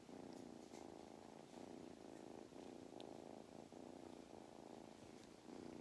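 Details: Mustard, a cat living on a regenerative farm in County Kilkenny, Ireland, purrs through a belly rub; rhythmic rumbling with distinct breath pauses about every second, and a few faint ticks.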